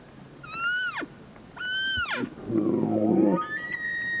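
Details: Bull elk in mating season; two high, whistled bugles that hold their pitch and then plunge steeply, followed by a rough, low, grunting roar and a final high, steady whistle.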